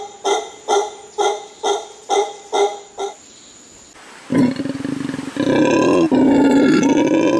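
A howler monkey gives rhythmic grunting barks, then breaks into a loud, rasping, sustained roar.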